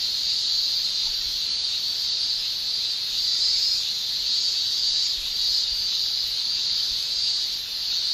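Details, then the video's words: Japan in summer: massed male cicadas produce a constant shrill buzz, high and even, with faint waves of loudness rolling through it. "Japan Summer Cicada Shrilling"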